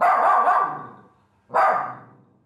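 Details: A pet dog, frightened and shaking, barks at a regular visitor he dislikes: two loud, harsh barks about 1.5 seconds apart, the first drawn out, each fading quickly.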